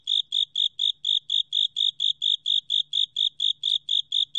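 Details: Short stretch of Japanese burrowing cricket song, 2020, National Institute of Biological Resources: piercing, high-pitched chirps spaced evenly, roughly three to four each second, against a quiet background.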